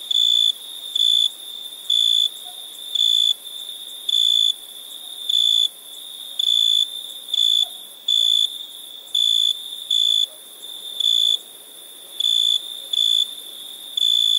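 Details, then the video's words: Crickets at nighttime, chirping in a fairly regular series of loud, high-pitched pulses close to once per second, set against an unbroken shrill insect chorus. "Relaxing Chirping Crickets"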